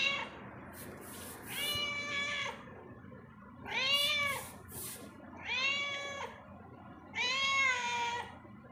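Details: Domestic cat roaming inside a home, giving four drawn-out meows with rich harmonics, each rising then falling, spaced about every two seconds against a low indoor hum.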